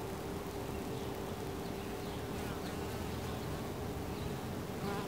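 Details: Honey bees at a hive entrance fill the air with an unbroken, low buzzing drone of many wings at once, holding an even pitch with a faint higher whine riding over it.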